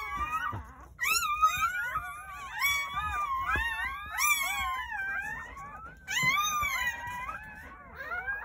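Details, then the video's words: Several newborn Jindo puppies, from a New Year's Day birth of nine at a countryside house, give long, high, sliding whines in overlapping waves, rising sharply and drooping, with faint background rustle. "새해첫날 시골집 진돗개 9마리 출산했어요 새해 첫 우렁찬 울음소리와 함께 새생명이 탄생"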